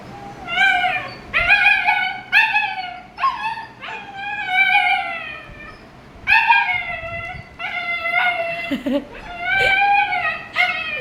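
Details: German Shepherd puppy named Happy, about 60 days old, kept at home as a pet; a series of high, whining howls and yips with rising and falling tones, several voiced cries in bursts across the clip, with people talking softly in the background.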